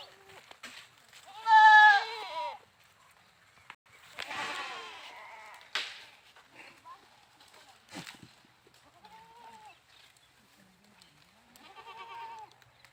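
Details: A goat gives one loud, quavering bleat early on, followed by softer bleats, a breathy burst and a few faint cries spread across the remaining seconds.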